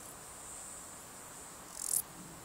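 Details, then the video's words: A male Stal's Saddle Bush-cricket (Lluciapomaresius stalii) gives its calling song, a brief, loud, rasping burst of pulses over a steady high hiss, recorded 13 July 2019 in the Sierra de Guadarrama. "Stal's Saddle Bush-cricket Lluciapomaresius stalii, male, calling song"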